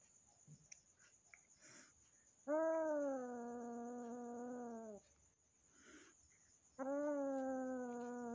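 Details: Indoors, a newly adopted kitten, given by a friend and still afraid, meets the household cat. Two long, steady, low moaning yowls, the first about two and a half seconds and the second shorter, rise from a quiet room with faint rustling.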